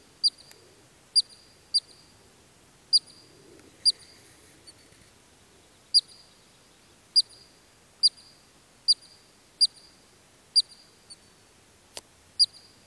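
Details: Columbian ground squirrel calling in Kananaskis Country, Alberta, Canada: bright, clipped high-pitched chirps repeated about every second in a fairly even series, with one faint click near the end.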